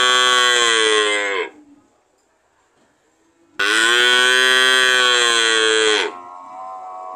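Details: Cow mooing twice: a loud, rich, drawn-out bellow of about one and a half seconds, then after a quiet pause a longer, steady moo of over two seconds, both ending with a slight downward sag in pitch.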